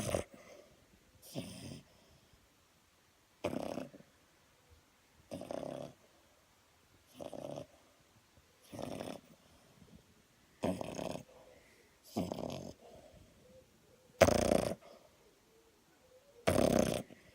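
A French Bulldog snores in loud, rasping bursts about every two seconds.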